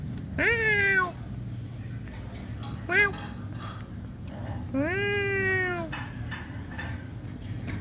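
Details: Domestic cat giving three clear meows, a long rising-falling one, a short one, then another drawn-out meow, each rich in harmonics, over a low steady background hum.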